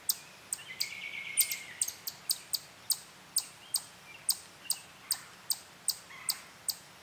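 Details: Chipmunk chipping defensively while staying in place on a tree in a sassafras grove at Durand Eastman Park, near a playground, guarding its territory. Quick, sharp, high chips come about every 0.4 seconds, roughly seventeen of them, with a buzzy trill early on.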